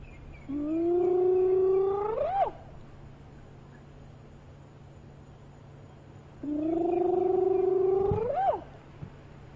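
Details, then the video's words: At sunrise on 2 October 2015, a spotted hyena calling from the far side of its den gives two long, rising whooping calls, each ending in a sharp upward sweep. "Isn't that awesome? One of the hyenas is calling on the other side of the den."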